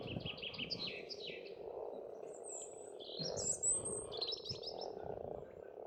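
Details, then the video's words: Spring frogs at an Estonian pond keep up a softer rolling croak beneath the louder birdsong, which includes bright trills and a high thin whistle in the middle. "Расслабляющее пение птиц и лягушек"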